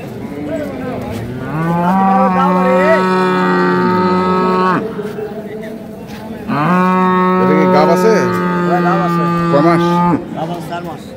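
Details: Improved-breed dairy cows with calves at the Ambari cattle market, Parbatipur, Dinajpur, Bangladesh, on 28 April 2025: two long, steady, deep moos, each lasting about three seconds and separated by a short pause, with faint market murmur behind.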